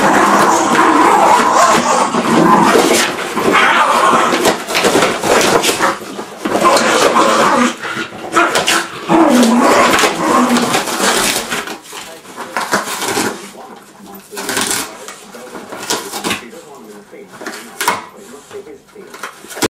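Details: A border terrier and a fox terrier attack a box, making rough, snarling growls in rapid bursts roughly twice a second. The growls mix with scuffling and tearing, and a man urges them on before the noise thins out.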